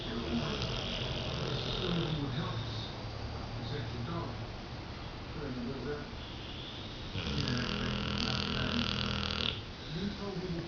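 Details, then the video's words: Max, a sleeping dog, snoring really loud indoors: deep, rough, rumbling breaths repeating in a steady rhythm, with human voices audible in the background. "Snoring Dog"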